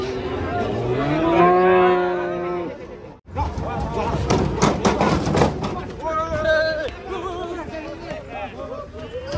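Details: Cattle being unloaded from a truck, unruly and agitated: a long loud moo with clear harmonics, rising then falling, followed by rougher bellows and overlapping calls, with men talking nearby throughout.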